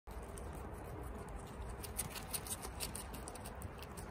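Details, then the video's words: Chia, a female pet guinea pig at home, munching bok choy and eating really fast; crisp, rapid crunching clicks come in quick bursts after a brief quieter start, over a steady low hum. "Guinea Pig Eatings BOK CHOY Sounds"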